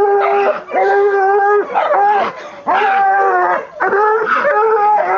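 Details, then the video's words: Black and Tan Coonhound, a 20-month-old female, howling after treeing her second raccoon, caught in a chicken pen; long drawn-out harmonic howls with rising and falling bends, several voiced notes repeating about every second. "UKC Black & Tan Coonhound"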